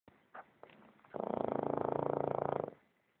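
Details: Boston terrier snoring: a few soft breathy snuffles, then one long, loud, rattling snore lasting about a second and a half, buzzing with fast regular pulses before fading out.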